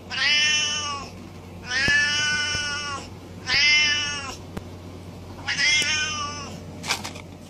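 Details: Angry house cat repeating harsh, bright yowls about every one and a half seconds, four long calls in a row, then a short sharp hiss-like burst at the close, over a steady low hum.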